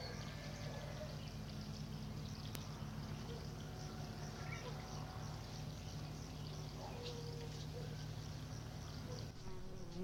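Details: Housefly and green fly feeding on fresh meat, recorded close up: a steady, low droning buzz runs without pause through the whole recording, with faint scattered rustles and ticks above it.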